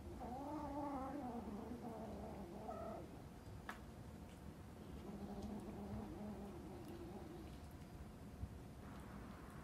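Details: Mother cat threatening, after her kitten wandered into a household; a low, drawn-out wavering growl-yowl with stacked harmonics fills the first three seconds, then fades to quieter murmurs over a steady low background rumble.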